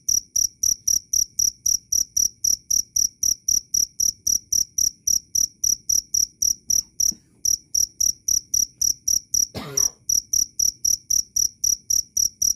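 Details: A cricket repeats shrill, evenly spaced chirps about four times a second. It pauses briefly once, and a short dull knock is heard later. Kept as a bird-training master sound.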